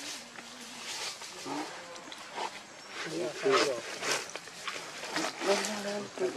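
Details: Hungry baby monkey Lucie crying pitifully for milk, foaming at the mouth; a run of wavering, harmonic whimpers and wails repeated about every two seconds over a hissy, noisy background.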